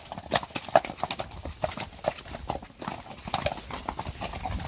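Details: Friesian mares out in the pasture; scattered hoof strikes and clip-clops in uneven bursts, some louder thuds, over a soft background rustle.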